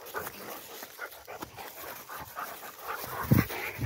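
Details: Two Rottweilers descending a tower, with soft, fast rhythmic panting of about two breaths a second, dense broadband huffs, and a brief louder thump near the end.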